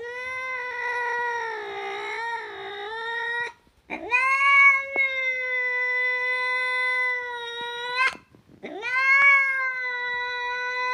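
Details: Domestic cat giving three long, drawn-out meows, each starting with a rising slide and then holding a steady, rich, wavering tone for several seconds, separated by brief pauses; indoors with no other sounds.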